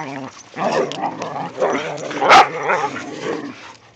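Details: Snow-day romp of whippets with a rat terrier, first light snowfall of the season: a continuous low, rumbling growl-grumble with wavering pitch and one sharp high bark in the middle.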